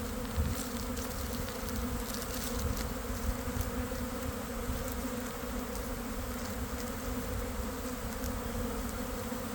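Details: Inside a developing honey bee swarm, early afternoon in a garden after a cold, wet week: continuous deep humming from countless wings, with low rumbling thumps and a few short crackles over the steady drone.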